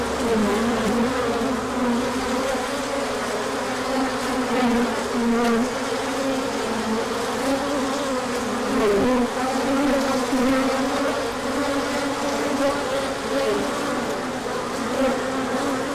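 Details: Honeybees on a large orientation flight after colder weather, emerging when the sun came out, with pollen coming in; a dense, steady, many-voiced humming buzz of a crowd of bees, low droning bands that waver slightly throughout, on 24 March 2024.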